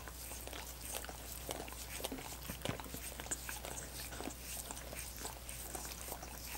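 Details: Wet, rapid lapping from dogs working at coconut water popsicles, no voices present; quick clicks and smacks follow one another unevenly, with a faint low background hum.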